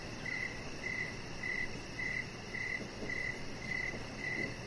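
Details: Crickets chirping outdoors in the evening beside a deck where a chihuahua puppy lies under decoration lights; short trilled pulses near one pitch repeat steadily about twice per second over a soft constant background hiss.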